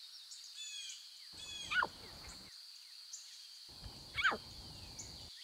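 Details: Lion cubs in the wild with their mothers give two high, squealing mews that slide steeply downward, a few seconds apart.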